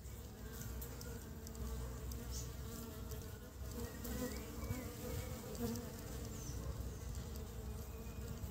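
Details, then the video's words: Honey bees collecting pollen and bringing it back to build their nest in early spring; a steady, low, droning hum with layered tones, continuous throughout, plus faint higher clicks and brief whines from passing insects. "Ong mật lấy phấn hoa về xây tổ đầu xuân"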